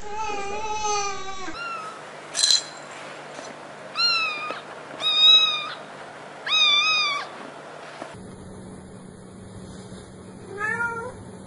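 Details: A domestic cat gives a run of about five drawn-out, wavering meows, each lasting half a second to a second and separated by quiet gaps, over a faint steady hum.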